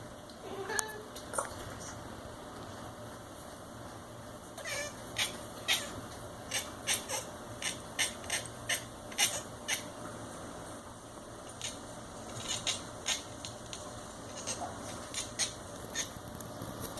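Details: A domestic cat watching a fly makes short, clicking chirps in quick irregular bursts, each lasting a fraction of a second.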